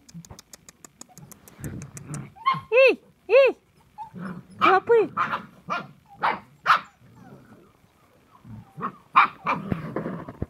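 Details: Samoyed dogs recorded on 9 January 2021 give loud, tonal, arching barks and whining yelps in bursts, with several sharp calls between quieter stretches and human speech mixed in.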